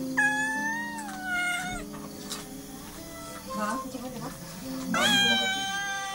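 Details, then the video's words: Pampered, spoiled family pet cat getting angry, giving drawn-out harmonic meows that slide downward, then a sharper rising-falling yowl near the end, over background music and voices. "kucing comel pandai marah"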